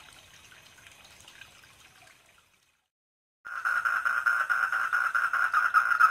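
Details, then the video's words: Koi pond at night-like quiet: soft background hiss, a second of silence, then a four-lined tree frog bursts in with loud, quick pulsed calls on a single mid pitch for the remaining few seconds. "SOUND OF THE FROG ON KOI POUND"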